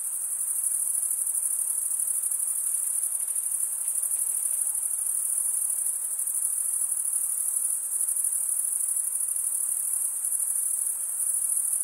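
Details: Several stridulating male crickets fill the air with a constant, very high, finely pulsed trill, wing rubbing against toothed wing. There are no pauses, only a soft background hiss.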